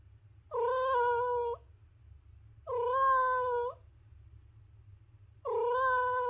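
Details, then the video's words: A cat meows three times at roughly two-second intervals, each call about a second long, flat and steady in pitch with a slight upturn at the end, in otherwise quiet surroundings. "The Ultimate Cat Meowing Compilation - Cute and Funny Cat Sounds for Everyone!"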